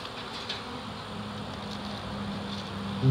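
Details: Honey bee swarm of nearly 7 lbs, early in the season, during capture in Dale County, Alabama. A continuous low drone with a faint steady tone, rising slightly in loudness at the very end.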